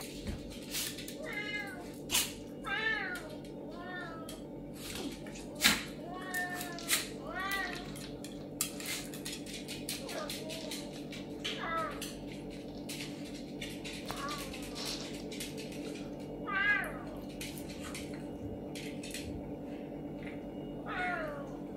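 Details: Pet serval meowing in an emotional exchange with a pinscher dog indoors: repeated high, arched, wavering meows every second or two, some drawn out and falling, over a constant low household hum with occasional clicks.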